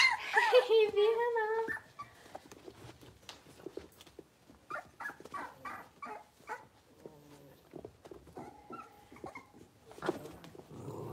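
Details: Blenheim Cavalier King Charles Spaniel puppies, a litter of five born on New Year's, moving into a bigger indoor pen. A loud, wavering, tonal whine opens the clip, followed by scattered faint squeaks, soft clicks and a human voice.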